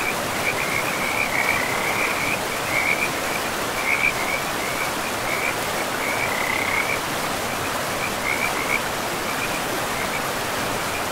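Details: Frogs calling beside a river in a pristine, moss-covered forest: a steady string of short, high, raspy chirps in bursts about every second, over a constant rushing roar of flowing water.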